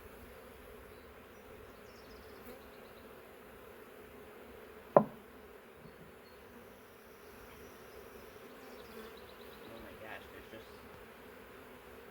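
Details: Honey bees from a huge swarm taken from a wild hive drone in a soft, constant hum, broken by one loud knock and faint distant bird chirps.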